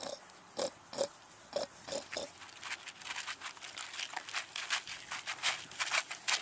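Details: Hungry piglets grunting in short, pulsed bursts about every half second for the first two seconds, then a run of sharp, broadband crunching and clicking noises, like feeding, filling the rest.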